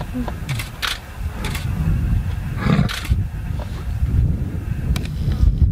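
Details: Lions in a rivalry along the Chobe River: two young males challenge two older pride males, with much bellowing. Low rumbling roars dominate, overlaid by a man talking and repeated camera shutter clicks.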